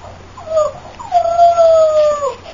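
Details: Female Boxer puppy of champion lines whimpering: two drawn-out whining cries, a short one falling at the end, then a longer level whine sliding down at its close, over quiet low hum.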